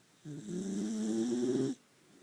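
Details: Deeply sleeping Maltese in total darkness gives a single long rasping snore, rising slightly in pitch as it swells, about one and a half seconds of buzzy drone before stopping abruptly, with a quiet room around it.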